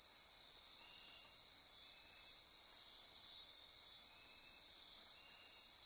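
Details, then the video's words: Midnight rainforest insects on Costa Rica's Osa Peninsula near Corcovado National Park, a thick shimmering wall of shrill trills and buzzes holding steady throughout, with a fainter ratcheting layer lower down. "Midnight Insect Chorus"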